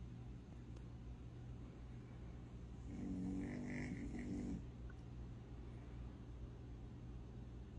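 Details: A single rough, rumbling snore rises mid-recording from Davidson, a sleeping puppy, against a constant low droning hum indoors.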